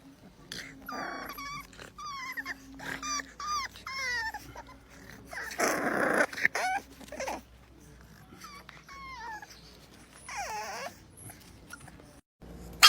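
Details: Bulldog puppies, one described as mad and wanting out, give a run of short high whimpers and whines rising and falling, some longer drawn-out cries, with a low steady hum and brief voices between.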